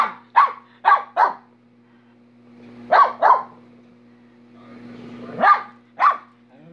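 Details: Minnie, a pet dog, barking in sharp, harsh bursts: seven barks grouped in clusters of three, two and two across about seven seconds, over a steady low hum.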